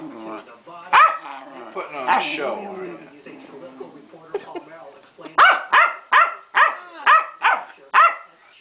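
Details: A female Keeshond called Pancake having a hissy fit at home: a person chatters to her amid scattered grumbles, then she bursts into a rapid string of seven high, sharp barks.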